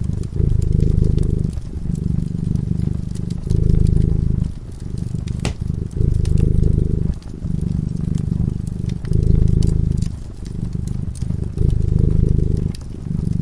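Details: Domestic cat sleeping by a cozy fireside, purring steadily: low rumbling pulses in long stretches of roughly two seconds, each broken by a short dip, while the fireplace crackles and pops sharply throughout.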